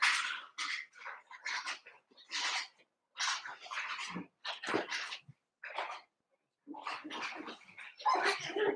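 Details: Eight Cavalier King Charles Spaniel puppies kept indoors at play after two litters are merged; bursts of short noisy yips and squeaks in quick clusters with brief silent gaps.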